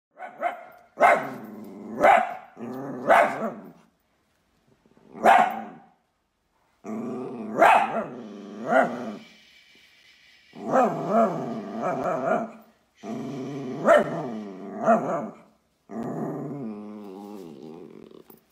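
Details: Dachshund, a sausage dog, in a pet compilation giving a string of sharp, harmonic barks and yelps in short bursts separated by brief pauses, some calls stretched into whiny tones.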